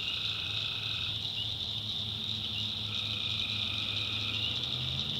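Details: Tree frogs calling at night in a swamp in the backwoods of North Carolina; long mid-pitched trills, one lasting about a second and another about two, ride over a constant high-pitched cricket drone and a low rumble.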